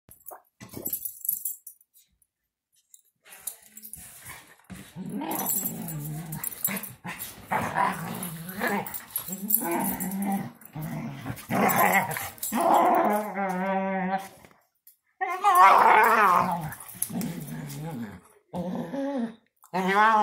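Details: Female German Shorthaired Pointer making funny noises while she wrestles and runs around: bursts of rough growls and moaning, whining vocal sounds, stopping and starting, with short pauses between loud spells.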